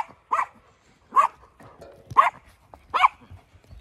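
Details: Dog on a hillside farm in County Kilkenny, Ireland, among sheep in mild weather, being told to leave it; four short, sharp barks spaced roughly a second apart, with quiet gaps between.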